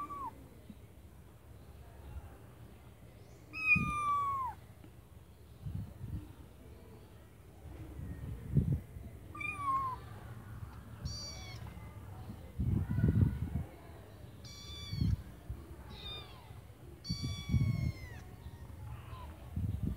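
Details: Several high-pitched kitten meows from inside a white bucket, some rising then falling, about seven cries in irregular bursts, mixed with soft bumps and scuffling.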